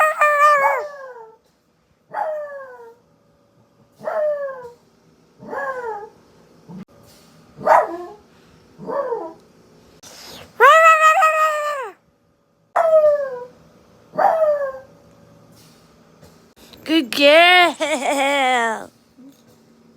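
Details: Female dog howling in answer to her owner's weird noises indoors: a run of short harmonic yelps that slide downward, then longer wavering howls that rise and fall around ten and seventeen seconds, with quiet gaps between the calls.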